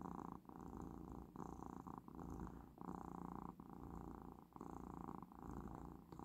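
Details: Domestic cat purring while lying relaxed, stroking a paw over its owner's head on the last day of its medicine course; continuous low rumbling purr pulsing in regular breaths, with short dips between cycles.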